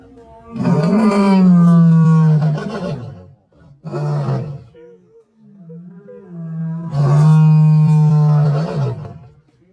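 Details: Lion roaring: two long, deep, moaning calls held for about two seconds each, with a shorter grunting burst between them, all loud and low-pitched with rich overtones and no other clear sounds.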